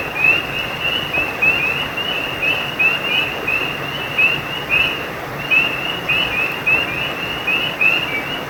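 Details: Several frogs by a brook give quick rising chirps in irregular clusters, high and whistle-like, repeating throughout against a continuous hiss of flowing water.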